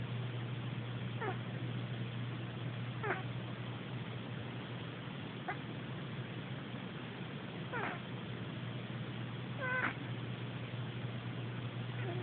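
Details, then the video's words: A cat snoring in its sleep, captured on an Android phone: faint squeaky breaths recur every two seconds or so, some rising in pitch, above a constant low electrical-sounding hum. "Cat snoring"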